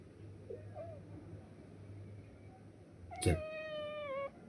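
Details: Pet cat, possibly called Brownie, calling out insistently to her owner indoors: after a quiet stretch with low hum, one loud, drawn-out meow of about a second, sharp at the onset, holding steady and dipping slightly at the end.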